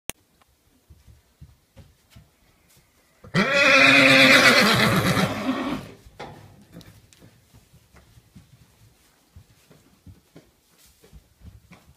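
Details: Arabian horse giving one loud, rough, quavering whinny of about three seconds that trembles and fades, followed by soft scattered footstep-like knocks in a quiet room.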